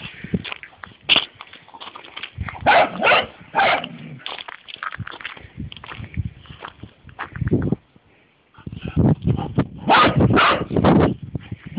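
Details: Dogs outdoors: Taxi, a Golden Lab, leads Tammy along on one lead, and Tammy is displeased. Short yelping barks and whimpers come in irregular bursts with brief pauses and a quiet gap near the middle, over rustling and handling noise.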